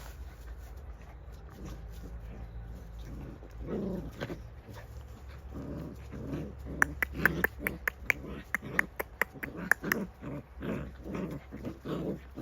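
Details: Jindo puppies in Chungju, Korea, straining against each other in a tug-of-war. From about four seconds, rough growling pulses build into a rapid run several times a second, with sharp clicking scuffles scattered through them.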